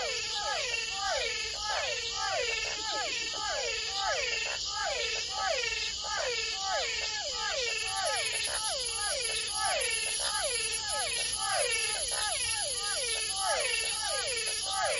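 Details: Frogs and toads call over and over in a dense night chorus in the Amazonian forest, each note a quick, nasal, bending wail repeated several times a second, over a constant high-pitched insect drone.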